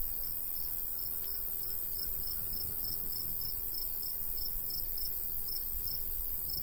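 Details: Crickets in summer countryside by a golden wheat field, giving faint high chirps in short regular bursts, roughly a couple per second, over a steady low rumble of light breeze.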